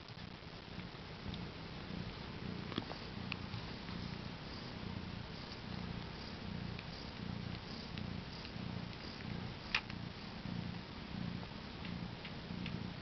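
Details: Purring of a new mother cat with her four newborn kittens, born April 22, 2010 about 10am CET; a continuous low pulsing rumble, with a few faint clicks and rustles above it.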